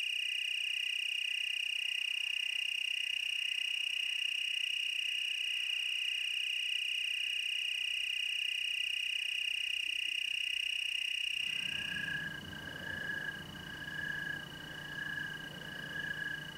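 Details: Tree crickets in the Willamette Valley, Oregon, sustain a steady high trill for about eleven seconds before it drops away, replaced by lower rhythmic pulsed notes and broader background noise.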